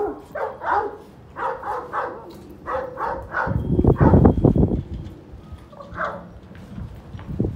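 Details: Grey and yellow golden Kangal puppies giving short, bright yelps in quick clusters, broken midway by a loud burst of rough low rumbling noise, with a few more yips after.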